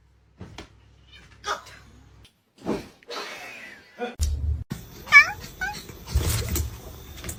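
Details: Domestic cat in a compilation of funny cat moments, giving several short rising and falling meows with pauses between them, mixed with a person's voice and some clatter in the background.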